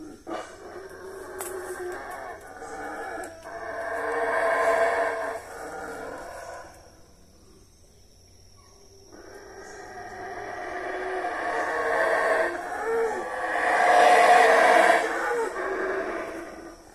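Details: Mexican howler monkeys (saraguatos) give loud, guttural roaring in two waves. Between them comes a quiet lull of several seconds, and the second wave swells into the strongest, harshest roar near the end.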